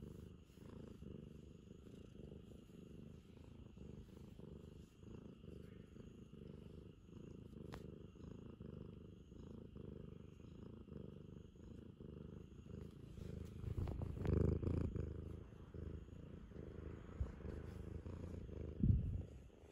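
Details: Affectionate Ragamuffin cat purring steadily, a low continuous rumble with rapid pulsing throughout, growing louder with brief rustling bursts near the end.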